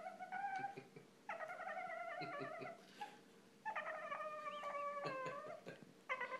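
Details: Boston terrier, an 8-month-old male named Tux, whining because he is not getting any attention; long drawn-out harmonic cries, some wavering and bending in pitch, in four main bouts separated by short pauses, with a faint steady hum behind.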